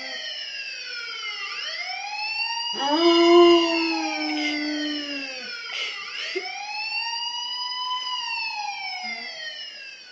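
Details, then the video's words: Pet dog Max howls in response to a wailing police siren, his strong sustained howl swelling midway, held for a few seconds and dropping off, set against the siren's sweeping up-and-down tones throughout. "max howling at police alarm"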